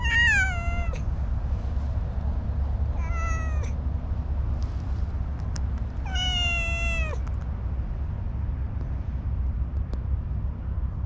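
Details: An orange tabby cat, a wary stray slow to open up, gives three high, clear meows, each sliding downward at the end.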